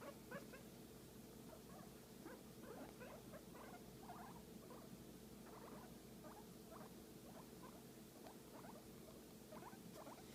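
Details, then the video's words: Guinea pig receiving a massage, with frequent quick squeaks and chirping bursts throughout, closely spaced, over a faint low rumbling background. "Guinea Pig Enjoying a Massage and Making Cute Sound"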